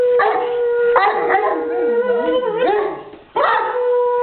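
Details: Male English Mastiff showing off his howling: long, drawn-out, wavering howls rich in overtones, dipping in pitch midway, then a brief gap before a fresh, steady howl resumes.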